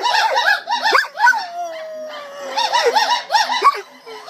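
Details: Gibbons singing at the Gibbon Conservation Center, joined by Jul, the center's guard dog, who sings along with them. Rapid series of rising-and-falling whooping notes, then a long, steady, slowly falling howl from the dog, before the quick whoops return.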